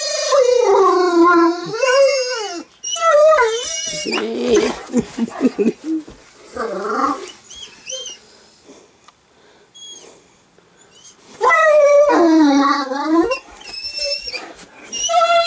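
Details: Eleven-month-old Great Dane puppy at home, reacting to home videos of himself on TV with long wavering, whining howl-like cries that rise and fall in bursts, separated by quieter pauses with short yips and a brief word from a person.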